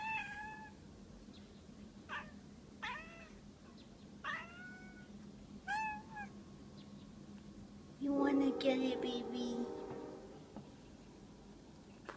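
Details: House cat at the window reacting to something outside, giving a string of short chirping meows about every second and a half, followed by a louder burst of noise and a steady low hum indoors.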